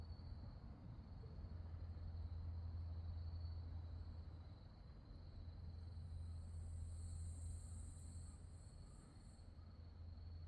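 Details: Night insects in the grass around Wonhyosa, a mountain temple on Mudeungsan, October 2024. A continuous thin high trill holds steady, and a second, higher pulsed chorus rises near the end over a low droning background.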